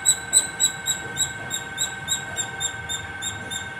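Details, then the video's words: Squirrel calling non-stop at the top of a terrace: rapid, sharp, high-pitched chirps repeated about four times per second, gradually softening, over a steady low electrical-like hum. "Non stop singing squirrel 🐿️ at the top of my terrace"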